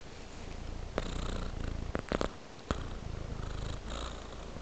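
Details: A domestic cat purring steadily while lying on a pillow with flower decor indoors, a low continuous rumble broken by a few sharp rustling clicks near the middle.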